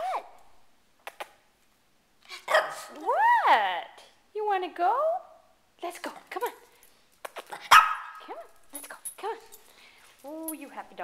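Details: Pet Shih Tzu dog indoors, eager to go out, giving high rising-falling whines and a few sharp barks, mixed with a person's excited speech urging it on.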